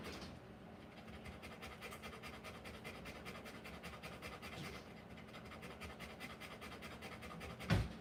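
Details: Rottweiler delivering puppies, heard as soft, steady panting breaths under a low indoor hum, with a brief sharp knock near the end.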